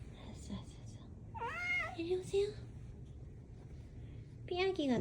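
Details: House cat meowing indoors amid a woman's speech: one drawn-out arched meow, two brief soft peeps, then a final rising-falling meow at the end; low room hum throughout.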